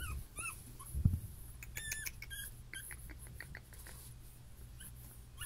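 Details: Puppy from a litter of six with champion parents whimpers in brief high squeaks, a few near the start and a clustered burst around two seconds, over low indoor rumble and a single knock.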